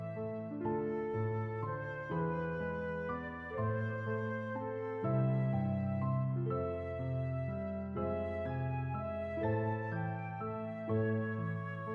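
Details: Gentle, tender instrumental music with flute-like melody over piano chords plays throughout, with no animal sound.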